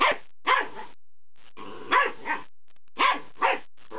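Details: Fox terrier pup, 12 weeks old, playing with a new squeaky ball; short yappy barks and growly play sounds come in pairs, about two bursts around each second mark, with quiet gaps between.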